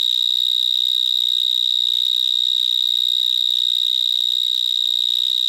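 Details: Vineyard mole cricket (Gryllotalpa vineae) singing in a vineyard in Gironde, France, recorded close to a larger individual: one unbroken, piercing high whistle-like trill, steady in pitch and level and loud enough to drown out a voice, with faint rustling below.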